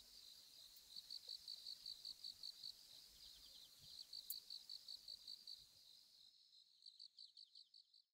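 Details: Phaneroptera falcata, the sickle-bearing bush-cricket, producing its thin, faint click call: high, dry pulses ticking in steady series over soft outdoor background hiss, with a sharp tap around four seconds before the background drops away.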